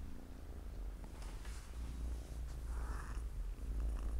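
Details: Loud, very low purring from a Siamese cat family, four kittens chilling by their mother on a Saturday afternoon; a thick, even rumble fills the short stretch, with a soft breathy hiss near the end.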